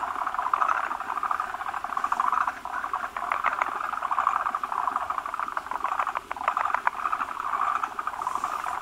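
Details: Forest green tree frogs at a spawning site, where many males gather around a large egg-laden female that lays foamy egg masses; a dense chorus of rapid, clicking, pulsed croaks with overlapping callers and swelling bursts throughout.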